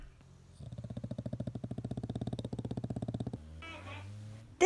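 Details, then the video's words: Male English bulldog at home while its owner tries to sleep, making a fluttering, rapidly pulsed low snore lasting about three seconds, then a short murmur of human speech. "My Cute Dog Snore Compilation, English bulldog"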